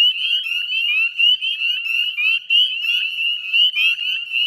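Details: Northern spring peepers in chorus at dusk, 18 May 2020, 9:08 p.m., Chezzetcook salt marsh wetlands, West Chezzetcook, Nova Scotia, Canada: dense overlapping high, rising peeps forming a continuous shrill band, many frogs calling at once.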